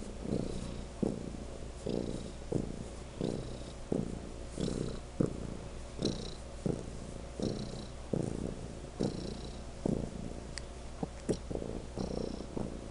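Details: Legend, a pet cat, purrs unusually loudly: a deep steady rumble broken into rhythmic surges about every half second to second, each breath-like pulse rising and fading, with occasional light clicks above.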